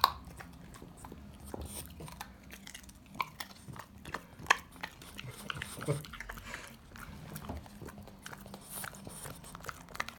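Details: French Bulldog eating a carrot indoors, with irregular sharp crunching and biting clicks scattered across the recording over a low steady hum; a person speaks briefly nearby.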